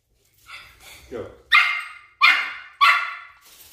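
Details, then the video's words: Chihuahua barking while attacking a flying toy bird: a soft whine, then three sharp, loud yapping barks about two-thirds of a second apart. "DOG ATTACKS FLYING TOY BIRD"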